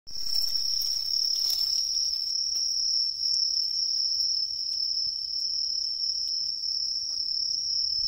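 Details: Tree cricket singing in autumn in woodland along a major river: a steady, unbroken high-pitched trill held throughout, with faint rustling early on.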